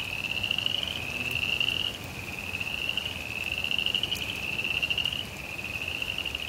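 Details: Rainy suburban backyard with frogs giving a high, vibrating trill in back-to-back phrases about a second long, the pitch wavering slightly between phrases, with a few sharp drip clicks and faint rain hiss.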